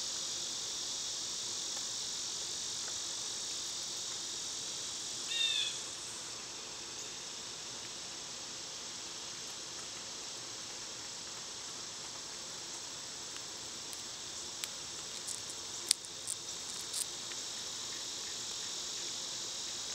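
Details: Loud summertime cicadas keep up an unbroken high-pitched buzz. A short bird call cuts in early on, and a few sharp clicks and ticks follow later over the constant insect drone.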